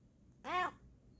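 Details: Yawning female Bengal cat gives one clear, short arched meow-like sound with bright stacked harmonics that lasts about a quarter second. A person quietly greets her before and after.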